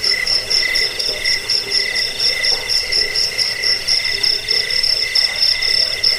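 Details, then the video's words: Cricket chirping, offered as a rat-repelling, sleep-inducing sound and as a master recording for training songbirds: a shrill, steady, pulsing high trill with a fainter lower tone beneath, unbroken throughout, with soft low murmuring in the background. "Suara jangkik pengusir tikus pengantar tidur"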